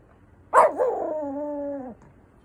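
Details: Papillon dog howling in imitation of a fire engine siren: one sustained, steady, tonal howl lasting about a second and a half after a brief rising onset, then ending abruptly; quiet background.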